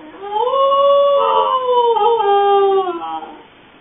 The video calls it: Cute Corgi Howling And Barking